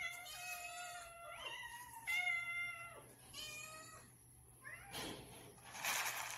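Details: Domestic cats meowing for food during a morning routine while hungry; several long harmonic meows, some bending downward, follow one another, with a broad noisy burst near the end.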